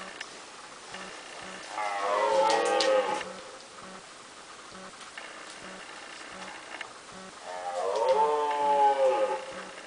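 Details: Two red deer stags fighting: deep, drawn-out harmonic roars lasting about a second and a half, heard twice, with a steady regular ticking pulse running underneath.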